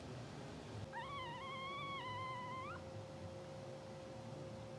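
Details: Two-hour-old English Bulldog puppies of a blue sable litter, asleep, twitching and dreaming; one drawn-out, high, whiny squeal lasting about two seconds, rising sharply at the end, over a steady electrical hum and low room rumble.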